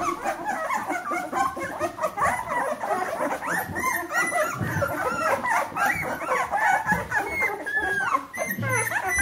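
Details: Fourteen-day-old Bernese Mountain Dog puppies from one litter whining in a crowded tangle of squeaky, wavering cries, short peeping squeals piling over one another throughout, with faint low murmurs beneath.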